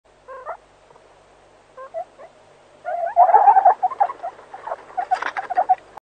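A meerkat gives short, squeaky chirps that build into a fast, chattering run of peeps.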